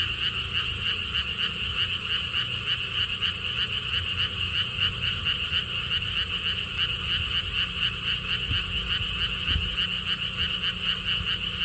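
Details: Frogs calling at a lotus theme park in Siheung, Korea, along a stone wall path. A thick, even wall of rapid pulsed croaks sounds for the whole stretch, with soft wind rumbling low and a few faint thumps.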